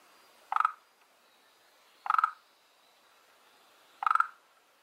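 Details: Frog living in a garden pond, one of two kinds there: three short, rattling, pulsed croaks roughly every one and a half seconds over a quiet background.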